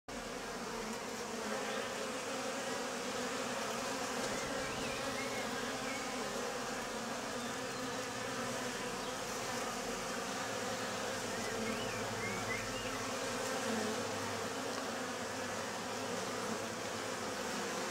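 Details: Bees flying at the entrance of a travel box, entering with pollen; a steady, dense buzzing hum from many insects throughout, with faint higher chirps in the background.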